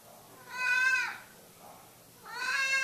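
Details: Cat tucked under a cover indoors, meowing twice: a rich harmonic meow falling slightly at its end, then after a pause a second meow cut off at the end.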